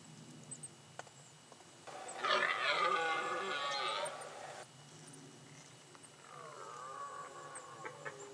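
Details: Red deer stag bellowing during the rut at the end of September in the Pyrenees mountains, in summer pastures grazed by cows and horses. A loud, rough, harmonic roar lasts about three seconds, followed by a quieter, drawn-out moaning bellow.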